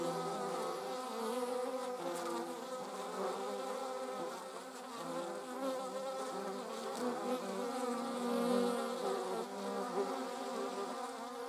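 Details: Hornet, paper wasp and yellow jackets recorded in the Eifel with a Sony RX10 IV; a continuous, wavering wing drone from several wasps, growing louder near the end as one passes close.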